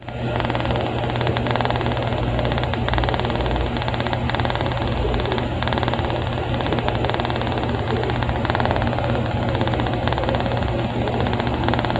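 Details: Steady engine rumble with music running underneath throughout, no animal voice audible.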